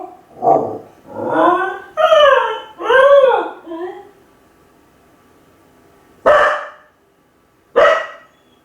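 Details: Kai Ken dog home alone and lonely. A run of arched, wailing yelps rises and falls in quick succession over about four seconds. After a pause, two isolated sharp barks follow.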